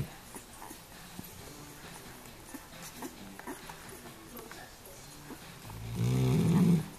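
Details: Female Weimaraner fast asleep while nursing her seven puppies, snoring very loudly: soft steady breathing, then a deep, rumbling, drawn-out snore swelling near the end.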